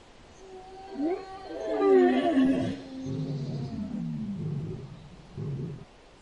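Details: An elk (Cervus canadensis) gives a drawn-out, tonal, moaning call that slides downward into lower grunting notes.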